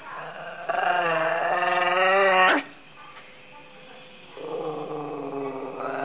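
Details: A dog posing before the camera lets out a long, tonal whine that climbs in pitch and breaks off, a pause, then another wavering whine begins, with a constant high-pitched hum throughout.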